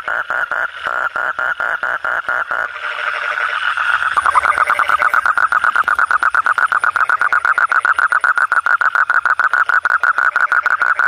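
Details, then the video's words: Frog heard at night with rhythmic mid-pitched croaks, a brief mixed jumble of overlapping calls, then a long, rapid, even series of clipped pulses. "suara kodok/suara katak/suara bangkong"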